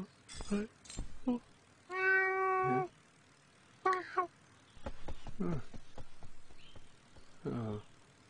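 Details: A cat gives one loud, drawn-out meow lasting nearly a second, steady in pitch with rich harmonics, among shorter sharp sounds and stretches of human talking.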